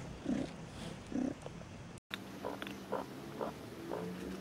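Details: Tiny mewing squeaks from newborn Maine Coon kittens at a Saint Petersburg cattery: two fuller calls, a brief break, then a handful of shorter, higher chirps in quick succession, indoors and quiet.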